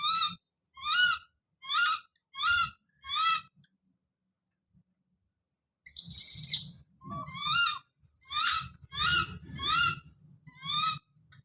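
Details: Screaming infant monkey calling out: a steady run of short harmonic yelps, about two per second, broken by one long piercing shriek, then more yelps over soft low thumps and rustling.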